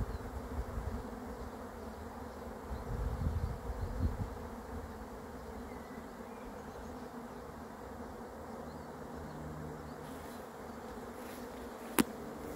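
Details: Arriving honey bee swarm hums as a continuous broad drone, swelling briefly near three to four seconds, with low rumble and a sharp click close to the end.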